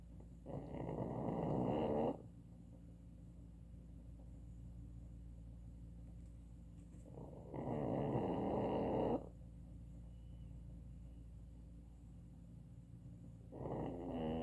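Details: Sleeping pug snoring: loud, rough, rattling snores of about one and a half to two seconds each, separated by long quiet pauses of four to five seconds, three snores in the stretch.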